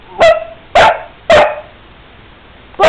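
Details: An angry Basset Hound, said to be pissed off at the world and perhaps wanting a treat, gives loud, deep, harmonic barks, each short and separated by irregular pauses.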